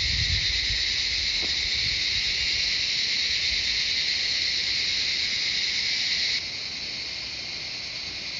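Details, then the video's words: Jungle cicadas at Shivapuri Nagarjun National Park, surroundings of Kathmandu, Nepal, give a continuous high, sizzling drone with a faint low rumble early on; near the end the buzz abruptly drops to a softer level. "Cicadas singing the jungle of Shivapuri Nagarjun National Park"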